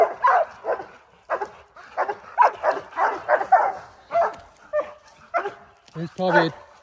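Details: Pack of four Oorang Airedale Terriers holding a black bear up a tree on a spring mountain trail, its first encounter of the year: rapid, excited barks repeated in quick runs, with a man's voice mixed in.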